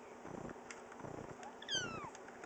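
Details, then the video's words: Cookie, a chatty two-year-old female cat also called Oreo, gives one short meow that slides downward near the end, over faint room noise, September 2010. "Cookie Likes to Talk"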